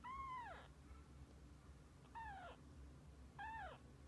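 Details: Mother cat and kittens spending the day together; three clear, bent meows spaced about a second and a half apart, each starting high, curving over and sliding downward, against a low room rumble.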